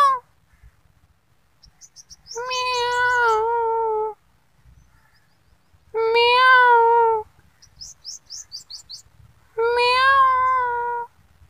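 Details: Kittens meowing: three long, drawn-out, wavering meows about three and a half seconds apart, each over a second long, with short high chirping notes between them.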